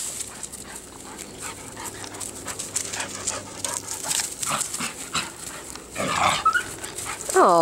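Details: Playful beagle puppies Daisy and Buddy romping together, with soft scuffling and panting-like rustles before a brief high whine and a sharp rising yelp near the end, while a woman's voice murmurs encouragement over the play.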